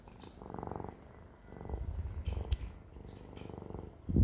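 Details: Siamese cat purring close up, a loud low rumble in uneven surges, louder in the second half, ending with a sharp thump.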